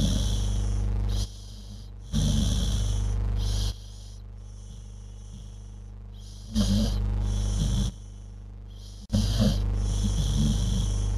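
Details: Snores from a sleeping dog, maybe dreaming: deep, raspy breath noises come in a few spaced bursts, separated by hushed stretches, over low steady hum.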